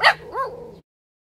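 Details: A Cavalier King Charles Spaniel puppy, urged to bark by its owner, gives one sharp, high bark followed by a brief rising-and-falling whine.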